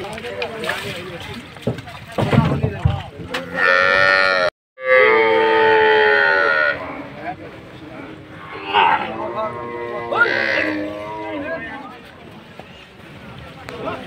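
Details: ['Big Bangladeshi cattle being unloaded for Qurbani Eid: loud, drawn-out harmonic moos, one lasting about two seconds and shorter ones later, amid men shouting and a noisy crowd.']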